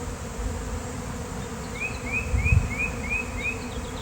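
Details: Undisturbed swarm of bees, possibly honeybees, settling on the ground outdoors on a nice day: a steady low buzzing drone, a soft thump mid-way, and a series of six rising bird chirps overhead.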